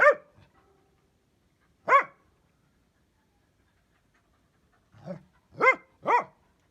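Sharp, sudden barks from a Dachshund, each one brief and ringing. They come at uneven gaps, with a softer bark before a quick closing pair.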